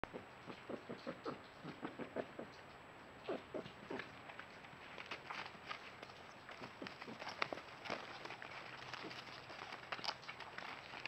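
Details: A mother red fox in Tennessee, whose family recently moved its kits to a groundhog den under a shop, gives soft, breathy huffing calls in quick runs to summon her kits.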